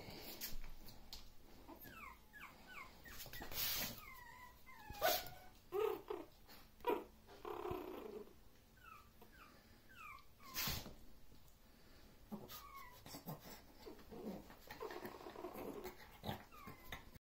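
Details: Maltese dogs in Korea giving clusters of short, high, falling whines and yips, broken by a few sharp louder bursts and scattered knocks.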